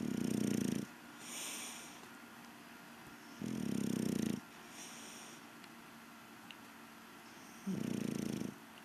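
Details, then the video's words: English Bulldog Rocky Balboa snoring through his evening siesta: three deep, rumbling snore bursts, each under a second long and spaced a few seconds apart, with quiet breathing between them. "Rocky Snoring"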